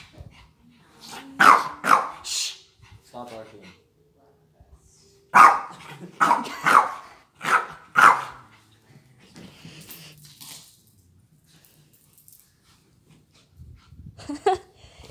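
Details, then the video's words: Roxy, a feisty female pet dog, provoked by a Red Angry Birds plush held up in front of her, lets out sharp, harsh barks in short bursts: a pair early on, then four in quick succession, with a person's voice in the pauses. "Roxy barking at my brother Tyler"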